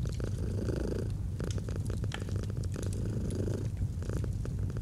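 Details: Domestic cat purring softly in a cozy autumn scene with a fireplace; low throbbing purr alternating between breaths, accompanied by bursts of crisp fire crackling.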